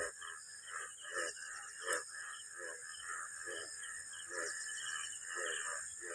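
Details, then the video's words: Frogs calling from a rain-soaked village field beside okra plants on a rainy afternoon: short croaking pulses about twice a second over a steady high-pitched drone. "এই ভেন্ডি গাছ থেকে ভেন্ডি তুলেছিলাম, সকাল তোমাকে দেখিয়েছি, দেখো কেমন ব্যাঙ ডাকছে।"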